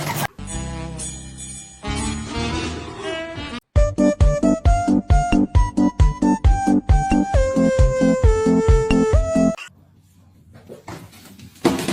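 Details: Cheerful jingling children's tune with bells and rhythmic stabs, a short pause, then more music, with no animal sound heard.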